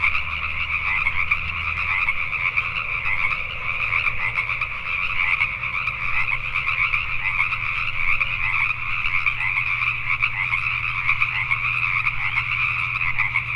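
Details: After dark in Richmond, British Columbia, Canada, a massed chorus of Pacific tree frogs keeps up dense, grating croaks throughout, over a steady low mechanical drone.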